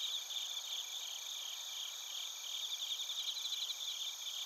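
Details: Chorus of crickets in Narita, Chiba, Japan, captured on a TASCAM Portacapture X8: many high-pitched pulsing chirps overlapping into a continuous shimmering trill, with several stacked bands of insect sound.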